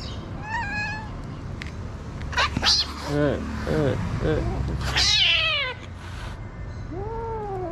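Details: Stray calico cats attacking a kitten on a street in Morocco: harsh, wavering meows and squalling yowls with rich harmonics, a loud strained cry midway and a falling meow at the end, over low traffic rumble and a brief human voice.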